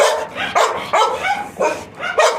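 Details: Repeated barking from Milky the Labrador Retriever, about five harsh barks spaced roughly half a second apart, each sharp in onset and fading quickly.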